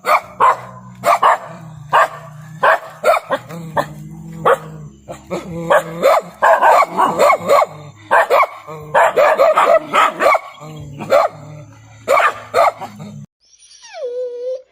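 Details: Pet dog barking rapidly and excitedly, dozens of sharp barks in fast clusters with brief gaps, followed by a short high whine at the end, over a low background hum.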